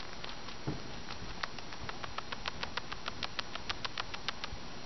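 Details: Rosi, a 13-week-old female pet fancy rat, bruxing right after a big meal: rapid, irregular dry clicks of grinding teeth, several per second, over a steady hiss, with one soft thud early on.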